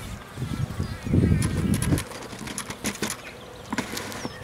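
A bee's low, droning buzz swells for a moment and then fades away.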